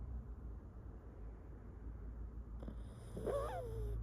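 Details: A pet dog snoring in a home, its owner calling it the household's top snorer: a low, continuous rumbling drone, then near the end a brief wavering, whine-like tone that rises and falls.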